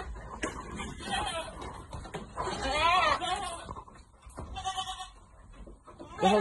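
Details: Farm goats being given vitamins give a single shaky, wavering bleat midway, with human speech and handling noises around it and a brief second call at the end.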